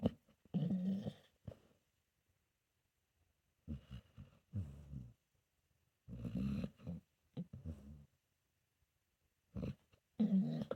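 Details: Sleeping senior pit bull mix named Solomon, possibly dreaming, in a small indoor room: short, gravelly snorts come in irregular clusters separated by several seconds of near silence.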